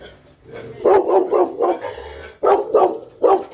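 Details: Dog in a mixed-breed compilation of large and small dogs: a run of five quick mid-pitched barks, a pause, then three more in a burst.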